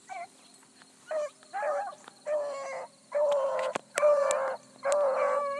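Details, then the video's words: Hounds of the Bluetick breed running a big rabbit early on a July morning: faint short bays build into longer, louder drawn-out bawls from several dogs, with a few sharp clicks. "THE BLUE'S ON A BIG RUNNING RABBIT"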